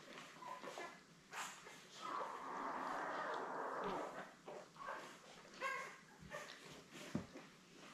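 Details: Newborn Labrador Retriever puppies, born May 24, with their mother Belle on a live puppy cam, litter of seven; a sustained whining cry lasting about two seconds amid scattered short squeaks and shuffling noises indoors.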